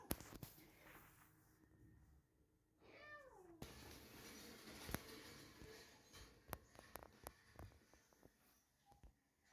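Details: Mother cat in heat calling loudly indoors while her kittens run away startled; one drawn-out meow with clear stacked harmonics that slides downward, followed by rustling and scattered knocks.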